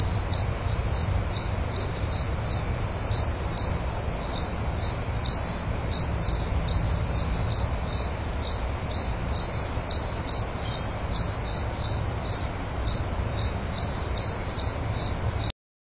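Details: Cricket giving rapid, regular high chirps, roughly two per second, each a short ringing pulse, with a soft low hum underneath and a brief silence at the end.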